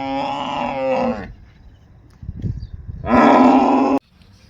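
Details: An agitated male water buffalo, upset by another buffalo brought in from outside, gives two loud, hoarse bellows about a second long each, separated by a quieter pause with low rumbling.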